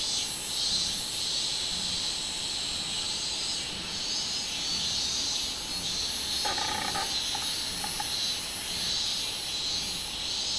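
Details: Robust cicada song from 24 July 2016: an intense, hissing high buzz pulsing in regular surges, broken midway by a short burst of clicky tonal notes before the drone carries on.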